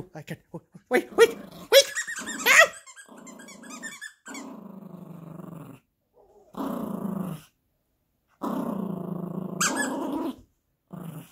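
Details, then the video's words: Yorkie puppy at play with a monkey toy, growling in long sustained rumbles broken by pauses, mixed early on with sharp squeaky yips and toy squeaks; a man's voice is heard briefly. "Insane Yorkie Growling and Playing with the Monkey Dog Toy"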